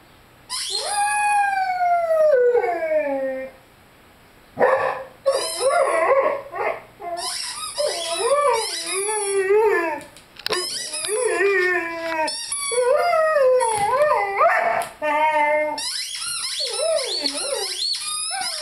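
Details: Lyle, a Rhodesian Ridgeback pup of five months, howls with his beloved squeaky chicken toy. One falling howl opens, then a run of short, bending, yodel-like howls mixes with bursts of shrill toy squeaking, broken by brief pauses.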